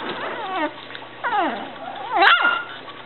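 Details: Japanese Chin puppies from a litter give three drawn-out, sliding whimpers, each falling in pitch with rich overtones; the last is higher and sharper, and a person speaks softly to them in between.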